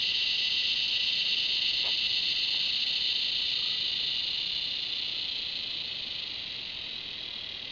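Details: Cicada. A cicada drones without a break, a bright, hissing buzz held at one high pitch. The sound stays nearly constant throughout, easing slightly toward the end, with no other clear voices.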